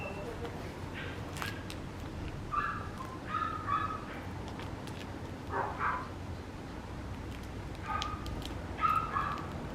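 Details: Papillon puppy giving short, high, whiny yips in scattered bursts with gaps between, over a soft background hiss; a faint voice also comes through.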